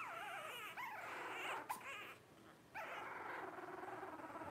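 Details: Blenheim Cavalier King Charles Spaniel puppy, 12 days old, one of five littermates born at New Year's 2023, gives quavering, wobbly whines that waver up and down, then a brief gap and another sustained cry over a faint hiss.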